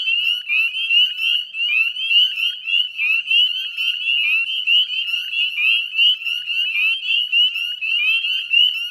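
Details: Northern spring peepers calling en masse at the Chezzetcook salt marsh, Nova Scotia, Canada, on a May 2020 evening at dusk; shrill upslurred peeps overlap thickly into an unbroken, pulsing wall of high-pitched sound.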